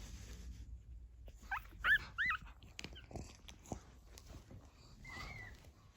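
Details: Pug puppies at 14 days old, starting to walk, give small cries while their watchful mother stays near. A brief cluster of three or four high, curved squeaks is followed by a single faint whine, over low background rustle.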